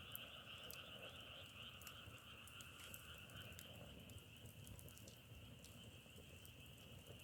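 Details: Distant frog chorus compared to burning firewood, a dense unbroken trilling hum layered with quick irregular crackling ticks and soft outdoor noise, quiet and even throughout.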